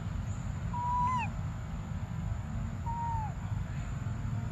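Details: Two drawn-out plaintive cries from the baby monkey Briar wanting milk, each a level whistle that drops at its end, about two seconds apart, over persistent low-pitched background rumble.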